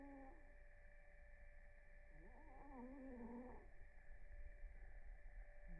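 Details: Blue the cat snores in REM sleep. A single wobbling, whistled snore wavers up and down for about a second and a half, with breathy rustling after it. A steady electrical hum runs in the background.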